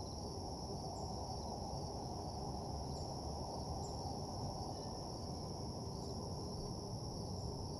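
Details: Continuous cricket trilling on a quiet night in an empty parking lot, high and unwavering, with occasional faint higher chirps and a constant low background drone.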